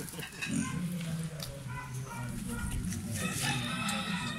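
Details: A black domestic pig at play gives deep, throaty grunts and snorts, strung closely together into a steady, rumbling stream. The sound stays low and buzzy, rising into brief louder bursts before settling back.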